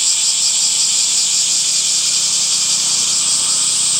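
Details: Cicadas in summer give an even, piercing high drone without pause, slightly throbbing, over a very faint low hum.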